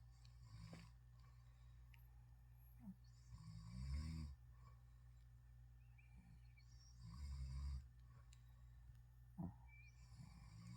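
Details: Shih Tzu dogs asleep beside their dad, snoring softly: low rumbling snores swell and fade every few seconds, with louder bursts around the fourth and seventh seconds over a steady low hum.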